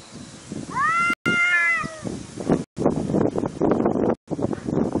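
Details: Domestic cat in a compilation gives a single arched meow, rising then falling, early on, followed by rustling and scuffling noises through the rest.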